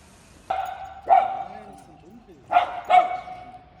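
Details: Louis Philipp, a tricolour Cavalier King Charles Spaniel pet dog living with a family in Munich, Germany, gives four short barks in two pairs, the second pair quicker, over a steady background tone.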